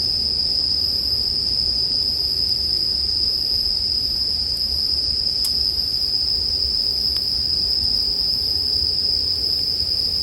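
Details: Sleep ambience of bell crickets and a campfire: a constant shrill ringing tone throughout, with occasional sharp pops of burning wood and a low background rumble.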